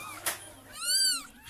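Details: Domestic cat that gave birth after sneaking into a neighbour's house, with her newborn kittens moved into a box lined with clothes indoors; a single high, arched mew rises and falls over about half a second, after a brief click.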